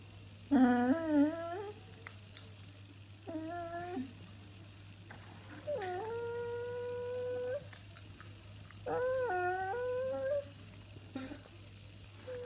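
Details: Pet dog indoors making strange noises: a series of drawn-out, wavering, howl-like whines, some rising then held flat for about two seconds, about five calls with pauses between, over a steady low hum.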